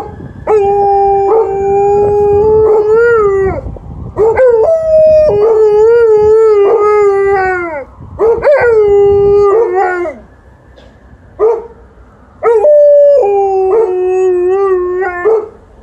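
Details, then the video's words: Alaskan Malamute and Golden Retriever talking together in long sustained howls, steady tones with wavering pitch and bright harmonics, several phrases broken by short pauses and a quieter stretch near the end. "Dogs are talking"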